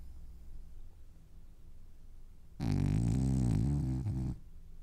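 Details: French Bulldog asleep and dreaming, giving one loud, low, gravelly snore lasting almost two seconds after a stretch of soft, quiet breathing.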